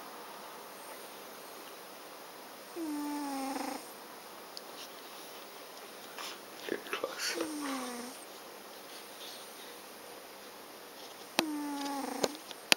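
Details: Garfield the cat snoring: three drawn-out nasal breaths, each a falling, whistly tone, spaced about four seconds apart, with faint rustling and small clicks between them.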